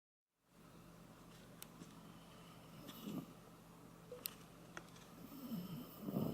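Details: Koume, a pet Shiba Inu, asleep indoors and snoring like an old man: low, rough, rattling breaths swelling at intervals, with a few faint clicks and rustles in a quiet room.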